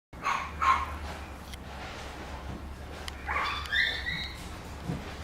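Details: Papillon puppy named Bibi giving a couple of short high yelping whimpers early on, a quiet pause, then a rising, squeaky whine near the end over a steady low hum.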